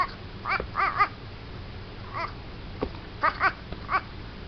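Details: A baby goat, throwing a 'hissy fit', gives short, high, nasal, duck-like bleats in quick bursts of two or three.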